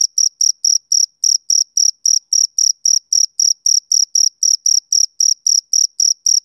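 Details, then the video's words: A male cricket chirps on a summer evening, each shrill pulse short and evenly spaced, nearly four per second, loud and clear against a silent background. "Cricket Chirping Sound Effect"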